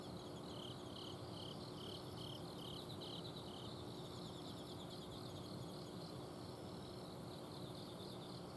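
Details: Autumn insects singing at night in a home garden in Azumino, Japan: a steady chorus of high pulsed trills, one series of quick beaded chirps and a sharper shimmering trill above, over the low constant hum of an air-conditioner outdoor unit.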